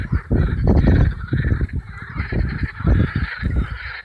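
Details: Massed marsh frog chorus from Allhallows marshes in North Kent, May 2015, warm evening; bursts of harsh, ratcheting croaks swell and fade in waves over a steady low rumble, hundreds of frogs calling at once.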